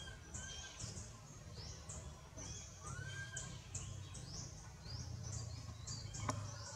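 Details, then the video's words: Frightened baby monkey Anissa, held by monkey Aron who will not release her, cries out for her mother with a rapid series of high, sharply rising squeaks and a few lower arched tones over a constant low hum. "Pity Baby Monkey Scare Call Mom"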